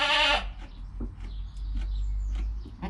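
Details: Newborn goat kid named Joel, within his first hour of life, filmed on a GoPro beside his calm mother Penny; one brief, loud harmonic bleat opens the clip, then low rumble and soft rustling fill the rest.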